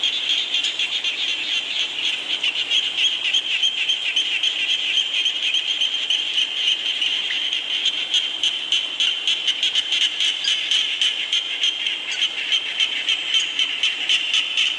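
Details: Rain with a steady frog chorus: high, pulsed croaking repeated rapidly and evenly, many voices overlapping into a dense, unbroken texture with faint hiss throughout.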